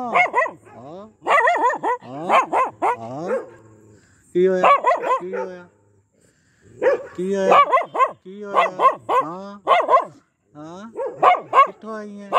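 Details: Aggressive Pomeranian dog barking in rapid clusters of sharp, high yaps, pausing briefly between bursts, then resuming with a rasping, insistent barrage.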